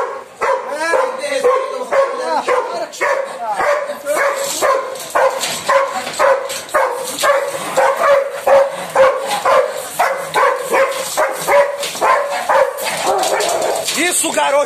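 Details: Female Belgian Malinois, adopted and once fearful, barking during bite training on her first bite, with a trainer acting as decoy: rapid, sharp barks repeated roughly twice a second throughout, with people talking and praising in the background.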